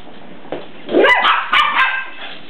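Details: Young puppy greeting its larger cousin dog; two quick high yipping barks in succession, slightly whiny, following a soft lead-in sound.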